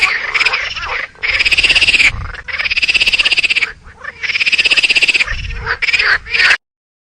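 A squirrel gives bursts of rapid, rattling chatter, each run of pulses lasting about a second.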